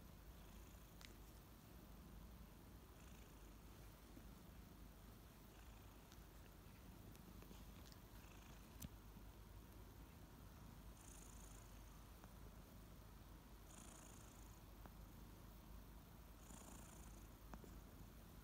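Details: Two kittens, Ariel and Bear, purring loudly as they wake up in the morning; a low continuous rumble with soft rhythmic pulsing, broken by short high licking bursts around the middle and end.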